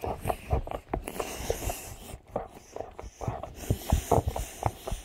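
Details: Boxer Rex, the big brother, enjoying his special treat while little brother Sammie irritates him; a run of short, low, breathy snorts and snuffles in quick uneven bursts, with soft chewing noises between.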